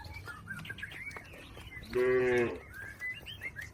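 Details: A cow from a herd moving across a river to its pen gives one short, bright harmonic moo, while small birds chirp faintly around it in a rural setting.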